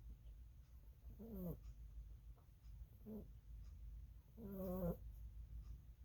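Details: Lily, a pet rabbit, snoring while asleep indoors: two clear nasal, buzzy snores with stacked harmonics, the second longer and falling slightly, plus a fainter short one between them, over low room hum.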